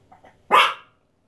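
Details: Female Chihuahua indoors, excited by box turtles housed temporarily in a spare shower because of cold weather, gives one sharp, loud bark after faint soft sounds; silence follows.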